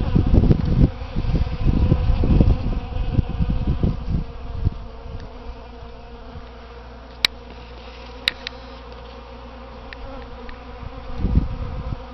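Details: Many bees visiting potted Easter hyacinth plants outside a front door in spring: low, rough buzzing swells in overlapping bursts for the first five seconds, fades to a faint hum, then surges again near the end.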